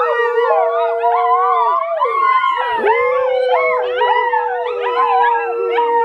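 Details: Several hungry 55-day-old Volga Wolfhound puppies "sing" together in wavering, overlapping howls that rise and fall, near their parents and the food source.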